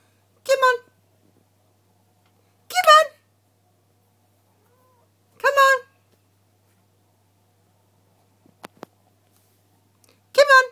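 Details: Two-year-old Ragdoll cat Bella, playing in kitten mode indoors; four short, clear harmonic meows, each about a third of a second, spaced roughly every two and a half seconds, with a brief faint click between them in a quiet room.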